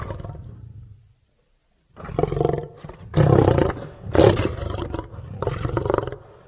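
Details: A deep lion growl, a pause, then three or four powerful, rasping roars in close sequence, each heavy and rough-edged.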